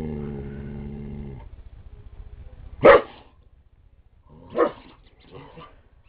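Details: Jack, a pet Border Collie described as crazy, gives two sharp, short barks about two seconds apart after a steady droning tone fades; the rest is quiet room noise.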